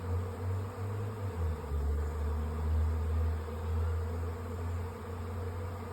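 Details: A honey bee swarm moving into a hive on May 24, in sun, the bees finding their spot in stacked nucs; a steady low hum of many bees with a faint voice over it.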